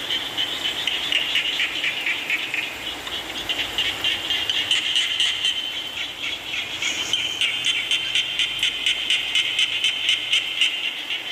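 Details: Frog calls blend with rainfall: high, creaky pulsed notes overlap unevenly, then a sharper, clicking series of calls takes over midway, all set against a continuous hiss of rain.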